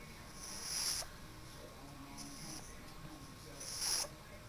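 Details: A pug named Sezen snoring quite loudly, two strong breathy snores with hissing high-pitched bursts about three seconds apart, quieter breathing between them, in a quiet indoor setting.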